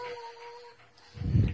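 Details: Corgi Husky mix dog during excited rough play with another dog: a short steady whine-like tone, then a brief deep throaty growl burst.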